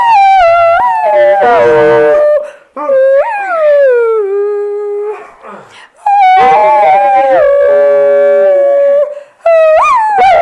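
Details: Alaskan Malamute female howling song indoors: sliding tonal howls that rise steeply then hold and fall, broken by short gaps, with rough, noisy vocal bursts between the held notes.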